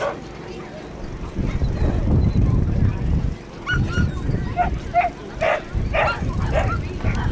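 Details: Border Collie named Jim at a Grade 3 agility competition, Lanark Racecourse, 19 April 2009: several short, sharp barks in quick succession in the second half, over a steady murmur of crowd noise and voices.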